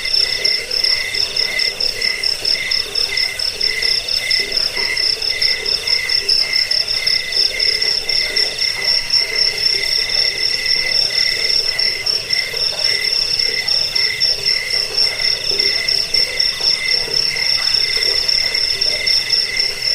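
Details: Continuous cricket chorus meant for repelling rats, lulling to sleep and bird song training; fast, evenly spaced chirp pulses ring high and clear, with a second lower pulsing band beneath throughout.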